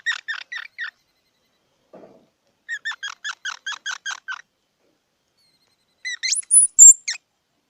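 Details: Runs of quick squeaky chirps from a squirrel: a short series, a faint low sound, then about nine evenly spaced notes. The clip ends with loud, very high whistled squeals.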